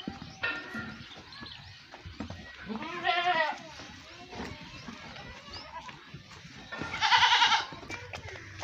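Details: Domestic goats bleat while being milked and fed: a wavering, harmonic cry near the middle, then a loud, bright bleat later on, over rustling, knocks and men talking in Hindi.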